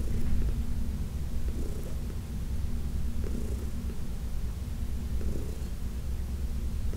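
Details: Purring of Heidi, a senior cat, during a massage in June 2021: an unbroken low vibrating drone, slightly quieter, with faint rhythmic stroking noises every second or two.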